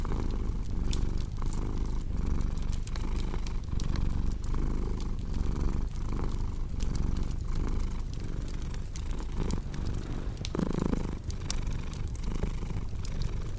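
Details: Purring cat with a throaty, pulsing rumble, its rhythm briefly shifting near the end, accompanied throughout by crackling fireplace sounds.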